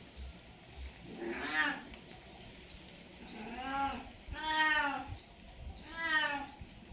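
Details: Domestic cat calling during mating season, with four long wavering yowls rich in harmonics, each about a second long, spaced one to two seconds apart, against low background noise.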